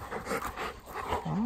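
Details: Ten-year-old Golden Retriever named Haku on the way to a field: soft breathy panting, then a short rising whine near the end.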